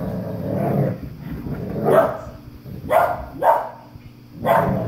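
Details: German Shepherd puppy and English Cream Golden Retriever playing tug of war: a low rumbling growl at first, then four short, sharp barks spaced about a second apart.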